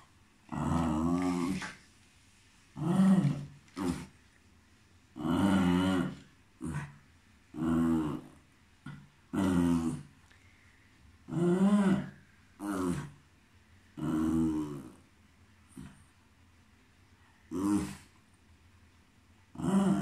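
A Cairn Terrier gives rough, drawn-out barks with a growling edge, repeated at uneven intervals.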